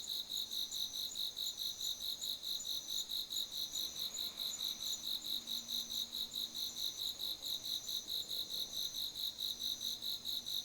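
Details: Night chorus of autumn insects in a September garden, high rhythmic pulses repeating roughly twice per second without pause, over a faint low hum.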